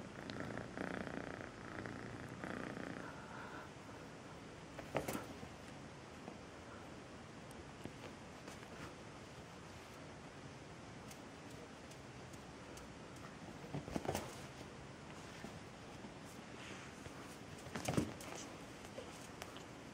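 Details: Melissa, a pet cat adopted as a two-month-old kitten, purring softly indoors: a quiet, steady low rumble throughout, with a few brief rustling knocks near the fifth, fourteenth and eighteenth seconds.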